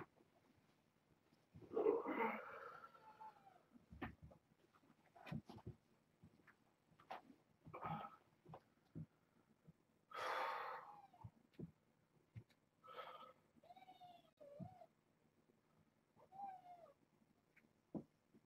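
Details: Foster kittens born August 29th, brought in through Purrfect Pals, snuggling and napping on a man at bedtime indoors; several short, harmonic mews, some rising then falling, come among soft clicks, rustling and quiet human talk.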